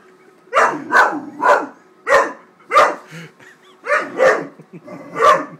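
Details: A 13-week-old Great Dane puppy named Wallace barks in agitation as he attacks a paper bag. About ten rough, punchy barks fall in uneven clusters of two or three, with brief quiet gaps between.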